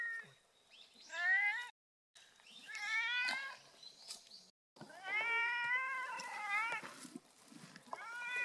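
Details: Sweet-voiced cat meowing repeatedly, drawn-out, wavering high cries following one another with brief pauses, some rising then dipping, loud and close over faint background noise.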